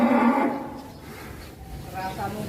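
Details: A large, heavy cow, one of a group of rare 'monster' cattle brought out of their pen, gives a short low moo lasting about half a second. The moo is steady and rich in overtones, and people talk over it and afterwards.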